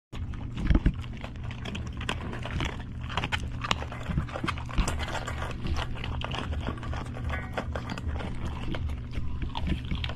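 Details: Old English Sheepdog eating in a close-up mukbang ASMR recording, dense crunchy chewing and smacking noises repeating irregularly throughout, with steady low tones humming underneath.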